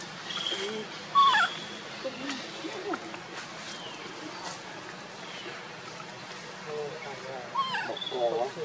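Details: Monkeys: mother Luna carrying baby Luno as she runs fast while Rainbow tries to take Luno away; short high squeals and rising, wavering harmonic cries, loudest near the start and in a burst at the end, over a steady rustling background.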